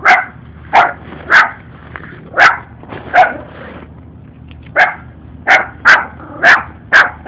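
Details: Two small puppies follow a person and bark at him, one very noisy; a steady run of about a dozen high, clipped barks over seven seconds, with a brief pause midway and low background rumble.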